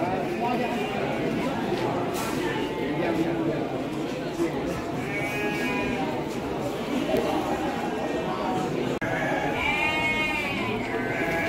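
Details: Breeding-stock Garut sheep at Andir livestock market, Bayongbong, Garut, bleat in short quavering calls, one midway and another louder near the end, amid constant crowd chatter and voices.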